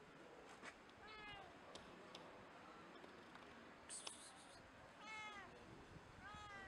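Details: A hungry tabby street cat gives repeated plaintive meows, asking for cat food.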